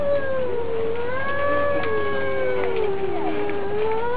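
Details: Domestic cats in a fight, two long wavering howls overlapping and weaving up and down in pitch for the whole stretch, a continuous tense duet with a low background hum.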